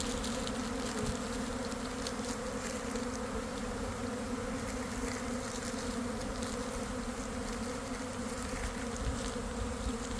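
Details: Swarming honey bees just leaving a hive in a garden around 1 pm, following cold and damp days; a thick, unbroken droning buzz fills the whole recording, even in loudness, with scattered brief crackles above it.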